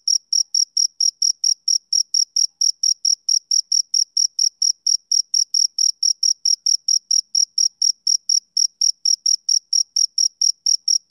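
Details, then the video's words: Male cricket chirping in a steady, unbroken series of short high-pitched pulses, about four per second, each with a faint higher overtone; no other sounds. "Cricket Chirping Sound Effect"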